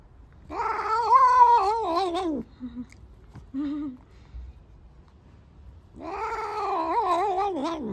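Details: Black domestic cat giving loud, drawn-out wavering yowls: a long rising-falling howl about two seconds, a few short low mews, a pause, then another sustained warbling yowl in a quiet indoor room.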